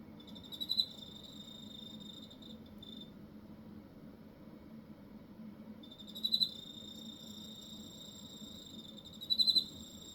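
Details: Shrill, even high trills from a cricket in Hokkaido, three bouts each starting with a sharp burst of pulsing chirps, the middle bout following a silent gap of about three seconds over a faint low hum.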